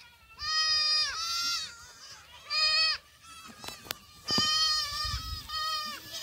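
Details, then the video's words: Young black goats dashing around a farm in Gimhae, South Korea, in July; repeated shaky, nasal bleats about a second long with sharp clicks and knocks between calls. "흑염소 새끼들 질주본능"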